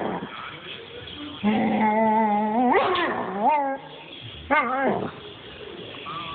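A German Shepherd makes drawn-out, whining vocal noises that bend upward and then slide down.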